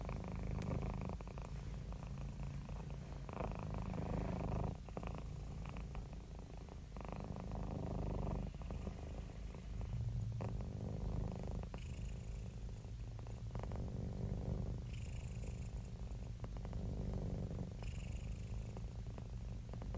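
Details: Relaxed domestic cat purring, from cats and kittens resting: an unbroken deep throbbing drone, gently swelling on each breath, recorded very close.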